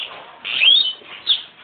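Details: Pig sounds at Boso boso while a sow gives birth and her newborn piglets are handled. A loud, high, thin squeal rises and wavers through the middle, then a shorter squeak follows near the end, with a faint murmur of voices.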